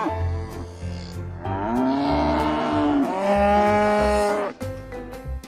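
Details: Two long, loud moos from cattle run almost back to back, each bending upward then falling away, with rhythmic background music and low drumming underneath.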